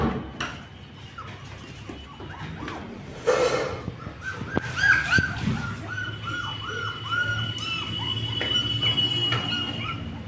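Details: Twenty-day-old black German Shepherd puppies give a run of short, arched squeals in quick succession through the latter half, after a few louder bursts, with a steady high tone and low hum underneath.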